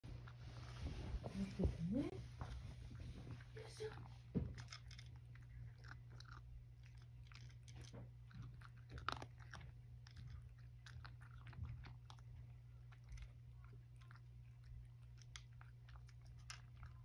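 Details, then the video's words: Satchan, a rescued male cat living at Kazano Kobo, eating breakfast indoors without his grandmother companion: a woman speaks at first, then rapid, irregular crunchy clicks of chewing continue over a steady low hum. "朝ごはん.. おばあちゃんがいなくても、しっかり食べて.. 追加も食べて"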